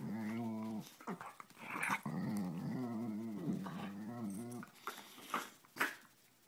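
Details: Two female Siberian Husky sisters play fight, one punishing the other for sitting in the owner's lap as they compete for the spot, trading wavering, moaning growls that end in scuffling and snapping sounds.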